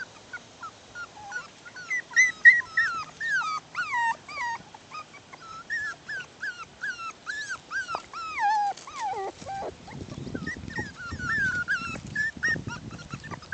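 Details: Bichon Poodle puppies at six weeks old playing outdoors; a dense stream of squeaky, bending whines and yelps, several per second, gives way near the end to low scuffling and rustle with fainter cries.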